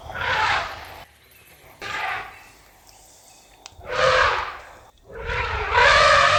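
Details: Elephant letting out rough, breathy roaring bursts, four noisy blasts about a second each separated by quiet gaps, harsher and less tonal than a clean trumpet.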